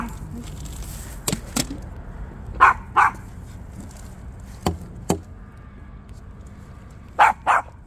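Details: Maltipoo barking while out on a walk: two quick pairs of short, sharp barks, one pair near the middle and one near the end, separated by quiet stretches with a few sharp clicks and taps.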